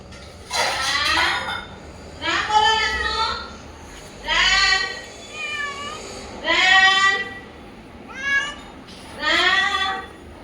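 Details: Household cat, recorded 2 January 2026, giving a series of six drawn-out, wavering meows about every one and a half seconds, rising then falling, with soft indoor background.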